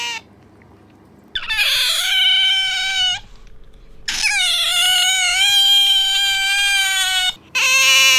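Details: Squeals from a pet otter, Bingo or Sakura, compared for loudness: two long piercing cries, each starting with a sharp upward swoop and then holding a steady, wavering shrill tone for two to three seconds, with a brief gap between.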